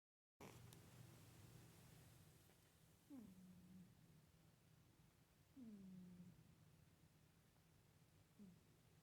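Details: A sleeping pet cat making soft humming sounds, three short falling hums a few seconds apart over a steady low background drone.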